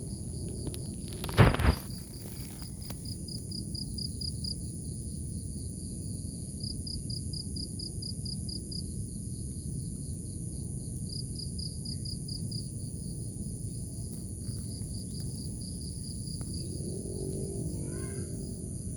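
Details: Crickets in grass in the morning chirp in short pulsed bursts over a steady high insect hum and low rumble.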